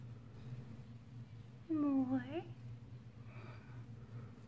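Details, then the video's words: Young female Chihuahua, a rescue from a Fort Worth, Texas shelter, vocalizing for more belly rubs indoors: one short whiny yelp that dips then rises, with layered harmonics, over a steady low room hum. "Baby Chihuahua Signs For MORE Belly Rubs"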